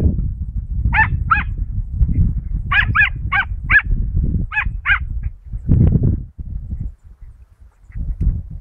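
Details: Dachshund named Mota pursuing rabbits in the field, 22 August 2012; eight high, clipped yelping barks, some in close pairs, spread over five seconds, then a pause, with a steady low rumble of wind or movement underneath.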